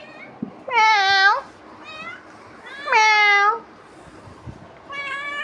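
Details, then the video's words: House cat persistently bothering its owner: two loud, bright meows roughly two seconds apart, with softer short mews between them and a quiet one trailing at the end. "Billi bhut paresan kr rahi h"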